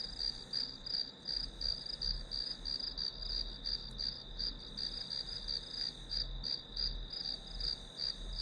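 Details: Shrill grass insect calling for a study-with-me session: an unbroken high trill with rhythmic chirps pulsing near three per second, clear and steady, a dull low background murmur below.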